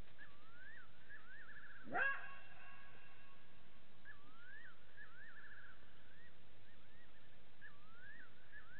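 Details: Side-striped jackal calling at Gowrie dam waterhole, Djuma Game Reserve, Sabi Sand Wildtuin, South Africa: one sharp, harsh bark-like yap with strong overtones, surrounded by faint, wavering rising-and-falling whistled calls repeated in short runs.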